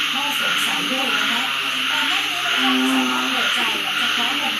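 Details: Frogs croaking together at night in Uttaradit, Thailand, as rain begins at the start of the rainy season, unheard for over six months; layered buzzy calls rise and fall over a persistent hissing background.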